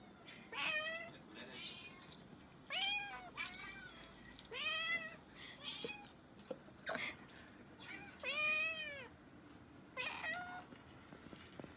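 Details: Repeated meows from a pet cat, about seven arched, whistly calls over twelve seconds, some short and clipped, others longer and strained, with occasional soft clicks and room noise between them.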